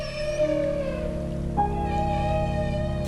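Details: In Alaska, a humpback whale (Megaptera novaeangliae) gives a loud, sustained, rich trumpeting feeding call that steps up in pitch partway through, as whales dive below herring schools and drive them together during cooperative bubble-net feeding.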